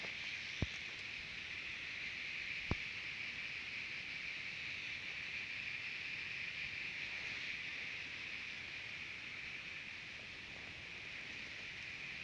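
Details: Singing cicadas at Terek-Sai, Jalal-Abad, Kyrgyzstan: a steady, shrill, unbroken buzzing drone holds at a constant pitch throughout, with two sharp clicks near the start.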